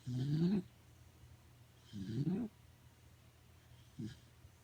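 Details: Sleeping Corgi snoring at home, three low rasping snores about every two seconds, each rising in pitch, the last one short; quiet room otherwise.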